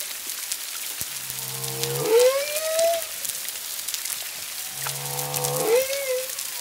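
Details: Humpback whales, at least two, singing 1–2 miles off Culebra, Puerto Rico, 25 February 2022: paired units of low buzzing grunts sliding up into a bright arching whistle, repeated about every three and a half seconds over crackle.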